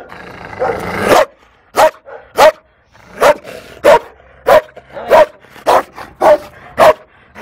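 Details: Shy female Malinois barking at the SPA in Toulouse, April 2014: a noisy opening gives way to about eleven clipped barks, some in quick pairs, spaced under a second apart.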